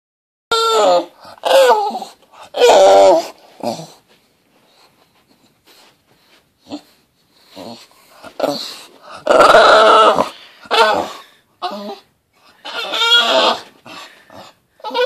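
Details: Navi, a 10-month-old female English bulldog, whines in high, nasal, funny-sounding bursts that come and go irregularly, with short pauses between.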